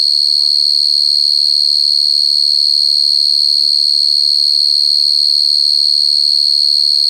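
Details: Cricket, recorded very clearly, giving a shrill, continuous high trill with a rapid even pulse of about 200 beats per minute. Soft, faint low sounds that may be voices flicker briefly underneath.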